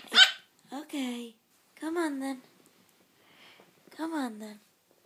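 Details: Three-month-old toy Yorkshire Terrier puppy barking for the first time: four short yappy barks, each dropping in pitch, spaced about a second apart, with a brief sharper yip at the start and quiet gaps between.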